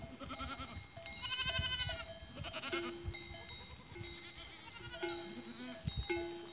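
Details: Goats on 14 April 2023; two bouts of bright, vibrating bleats about three and a half seconds apart, mixed with steady clanking bell tones and low background rumble.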